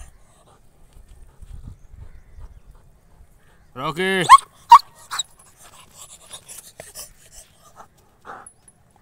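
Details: A male German Shepherd in Mirzapur lets out a brief, harmonic whining cry lasting about half a second, preceded by quiet low rumbling and followed by scattered clicks and faint background voices.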